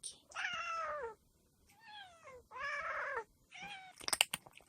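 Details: Yard cat returning after a long day away from a home where stray cats are fed: four loud meows in a row, each harmonic and sliding downward, the second softer, followed by brief clicks and knocking.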